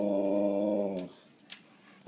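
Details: Siberian Husky named Nook talking: one steady, droning, harmonic moan lasting about a second that cuts off abruptly, followed by near quiet with a couple of soft clicks and a person's voice nearby.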